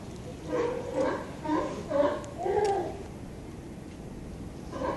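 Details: A run of five hoarse, honking barks from sea lions beside a California harbour pier, 18 November 2011, spaced about half a second apart, then a quieter pause before one more bark.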